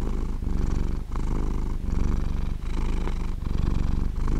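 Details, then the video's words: Purring from a sleeping domestic cat, a low buzzing rumble rising and falling in breath-length pulses about every one and a half seconds, steady and close. "Cat sleeping and Purring"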